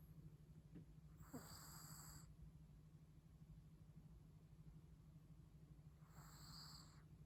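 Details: Chihuahua sleeping very comfortably, snoring: two airy breath bursts about five seconds apart, each carrying thin whistling tones above a breathy rush, over a steady low hum.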